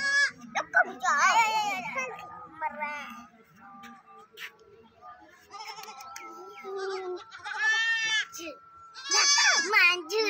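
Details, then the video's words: Four baby goats making irregular bleats: a few loud wavering cries near the start, a quieter middle stretch with a faint steady hum, then louder overlapping bleats toward the end. "four cute baby goat sound"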